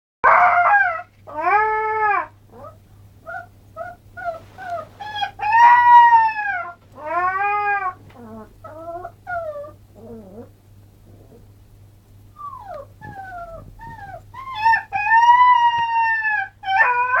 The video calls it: alaskan malamute pup, howling